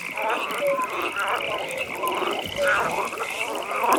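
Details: Frogs croaking at a pond in a nighttime atmosphere: short, rough croaks and brief whistled notes recur every half second or so over a steady, high, pulsing trill that runs through the whole recording.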